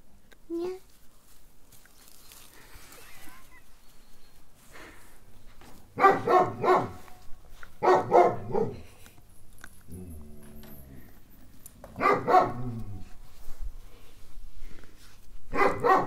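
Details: Village puppies barking in short harmonic bursts around 6, 8, 12 and 16 seconds, with quieter scratchy sounds and a low hum between bursts.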